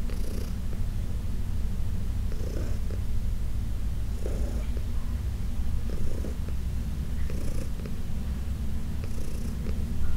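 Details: Heidi, an elderly domestic cat, purring during a massage: a deep, even rumble that never pauses, overlaid by light rhythmic stroking noises roughly every two seconds.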